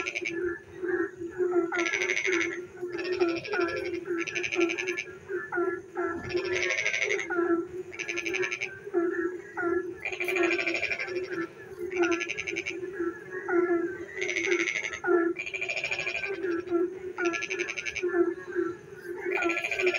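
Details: Rainy-night frog chorus in darkness, with many overlapping callers: rapid harsh pulsed rattles recurring about every second or two over a constant low hum and scattered short croaks.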